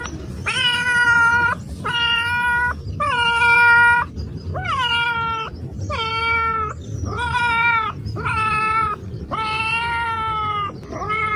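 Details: Domestic cats meowing repeatedly, about nine loud harmonic meows in quick succession, some wavering and some sliding downward, with steady low background noise throughout.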